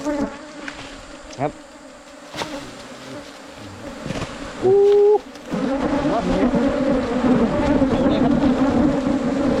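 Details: Wild cavity-nesting Asian honey bees found on a 2022 honey hunt: a low, even hum that swells louder in the second half, with a sharp clear tone cutting in briefly midway and occasional clicks.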